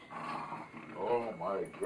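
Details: A Foxhound and a Beagle pester their owner awake for breakfast in the morning indoors, giving short arching, rising-then-falling whines, overlapping with human speech.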